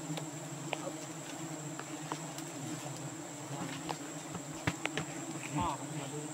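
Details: Giant honey bees (Apis dorsata) at a nest during the rainy season in Borneo: a steady low droning hum of many bees, with scattered clicks and knocks and faint human voices nearby.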